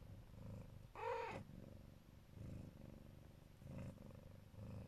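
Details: Neva Masquerade Siberian mother with her kittens, protective and loving, purring in a low throaty rumble with breathing swells; a short higher vocal squeak cuts in about one second in.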